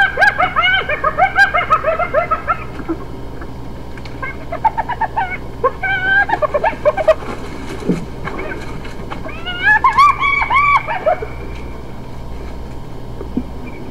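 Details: Hyenas giving bursts of short, quavering, wavering notes in quick irregular runs, some clustered and overlapping, broken by brief quiet gaps, with faint background hum.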